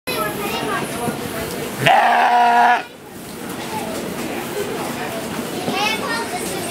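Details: Goat giving one loud, nasal, wavering bleat about a second long, rich in harmonics, with faint human voices and background chatter around it.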